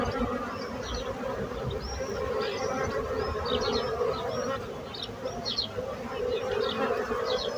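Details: Steady bee buzzing hums beneath frequent short, high bird chirps and whistles that dot the whole recording.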